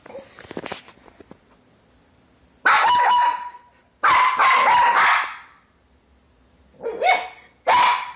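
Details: Puppies barking loudly in a run of rough, broadband barks: one at first, a longer drawn-out bark, then two sharper barks close together near the end, with softer rustling before them.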